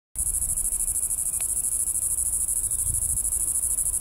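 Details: Red-nosed cicada in its natural habitat in Bengaluru, giving a loud, continuous high-pitched buzzing drone with a rapid pulsing rhythm throughout, with a faint click near the middle.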